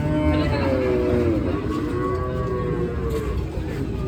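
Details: Cattle of various breeds being unloaded at the Aronkola livestock market, held every Tuesday. Drawn-out lowing with gently falling tones rises over a steady rumble of crowd and vehicle noise.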